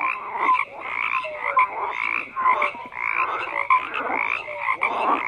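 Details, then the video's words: Many frogs calling together: raspy croaks in rhythmic bursts separated by brief dips, higher trilling layer above, and occasional short clear whistled notes. "FROGS CROAKING"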